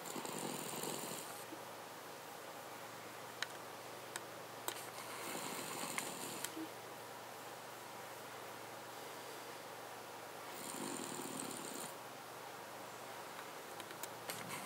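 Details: Paca, a Cavalier King Charles Spaniel, snores in a quiet room: three raspy, hissing breaths roughly five seconds apart, each lasting about a second, with faint clicks between them.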